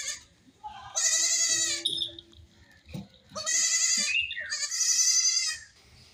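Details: Young goat, among baby goats playing and jumping, cries for its absent mother: three long, loud, wavering bleats with rich harmonics, separated by brief quiet gaps with faint clicks.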